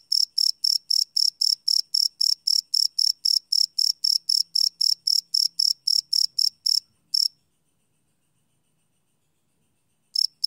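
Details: Night-time cricket chirping, captured live on a Sony field recorder: rapid, evenly spaced high pulses near four a second for about seven seconds, then nearly three seconds of silence before the chirps return.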